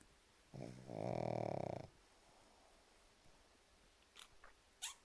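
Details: Sleeping pug giving one drawn-out, rattling snore of just over a second inside a small room, followed by near-silence broken by a few faint short ticks and sniffs.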